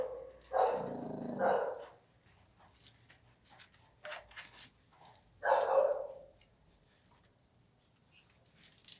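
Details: A Miniature Pinscher eating stale bread and fighting over it gives a few sharp, mid-pitched barks, spaced several seconds apart, indoors.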